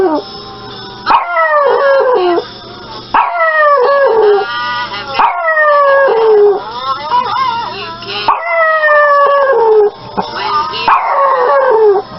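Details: Pomeranian puppies howling in long, wavering cries that slide downward in pitch, about five drawn-out howls separated by short pauses, loud and close.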